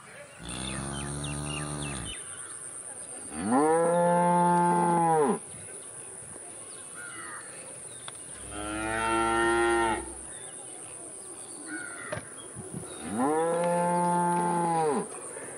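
A cow lows repeatedly, each moo a sustained, rich bellow that swells and then fades after roughly two seconds. Four calls come a few seconds apart over a faint steady background hiss.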